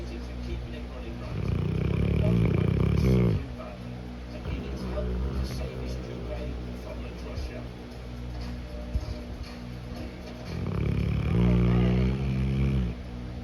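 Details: Cane Corso dog snoring while napping: two long, loud, rasping low snores with a fluttering pulse, each about two seconds, separated by quieter breathing, with faint talking in the background.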